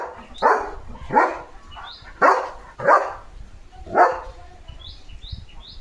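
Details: Leo, a pet German Shepherd, excited by his new coronavirus-shaped squeaky ball, barks five times. Each bark is loud and rough, spaced about a second apart. Faint high chirps, likely birds, sound in the background.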